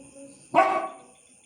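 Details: Excitable house dog yelling for no reason while its owner coaxes it to come and eat. One sharp, harsh bark fades quickly into quiet room hiss.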